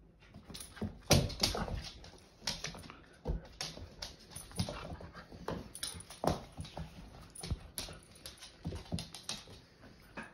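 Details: A female Siberian Husky puppy gives quick, uneven whines and yips, wanting to play with her big sister.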